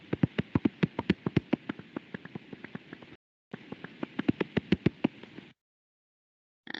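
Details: A common pipistrelle's echolocation, around 45 kHz, recorded with a bat detector and made audible as a fast run of wet, slapping, wavy metallic clicks.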